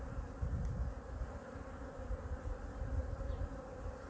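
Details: Honey bees of hive #2 are examined in winter while their food reserves are checked. A dense, even buzz rides over strong low rumbling, with faint tonal bands throughout and no breaks.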